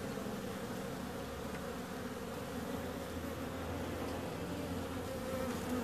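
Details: Bees buzzing in a steady, dense drone of layered low tones that hold evenly throughout, with no clear breaks, like many insects flying together.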